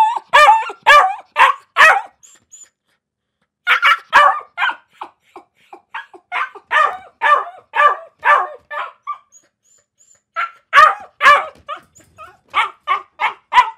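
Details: Dogs barking in a compilation of several dogs, including city, waiting and night barkers: sharp repeated barks in quick bursts, a pause near four seconds, then more steady barking and a final fast run of barks.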